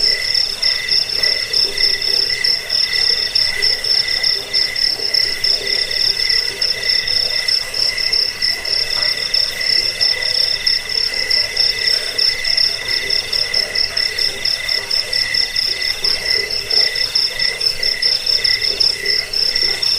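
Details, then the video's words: Crickets recorded as a rat-repelling lullaby and songbird training track: dense, fast-pulsed high chirps continue unbroken for twenty seconds, layered over a softer lower trill. "Suara jangkik pengusir tikus pengantar tidur"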